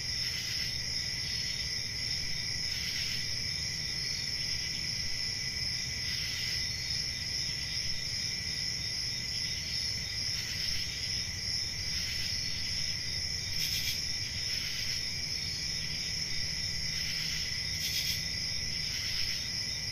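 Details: Crickets on a peaceful country summer night trill steadily in a high, even chorus, with a soft low rumble underneath.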